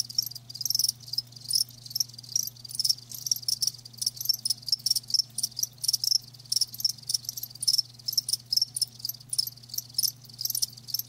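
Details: Crickets, kept live, produce dense high-pitched chirping that pulses rapidly and almost continuously, many overlapping trills forming a shimmering chorus over a faint constant low hum.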